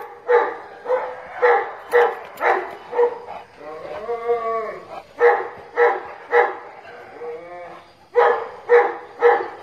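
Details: Playful, fighting dogs let out runs of loud, evenly spaced barks, about two per second, broken midway by a drawn-out, wavering whine and softer yelps before the barking resumes.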